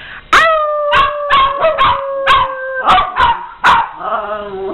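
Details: Household dogs howl and bark in a chorus with the owner howling too: overlapping steady howls cut through by loud, irregular barks, closing in a lower, wobbling howl.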